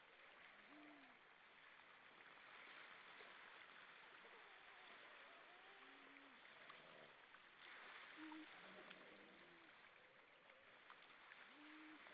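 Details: Many grey seals hauled out on rocks at Vilsandi, Estonia, singing on the evening of 22 October 2012: overlapping low, wavering moans and short arched hoots, several voices calling in turn over a constant loud rushing hiss.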